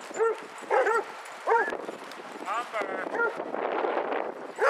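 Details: Basset Hounds from a 22-dog walk in Hazlehead Park, Aberdeen, 2 February 2014. A few scattered, arching barks and one longer wavering bay break through a steady background of human conversation.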